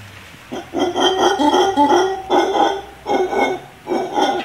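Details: Howler monkeys in the trees above a swimming pool and tennis court at a visitor residence in Playaverde, Costa Rica, answering a person speaking to them: deep, hoarse, harmonic grunting roars in rhythmic bursts of about a second, with short pauses between.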